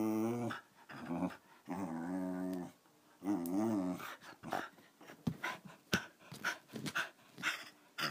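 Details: Patsy, a lively 13-year-old female Wire Fox Terrier, growls in three wavering bursts. These are followed by a run of clicks and tapping sounds.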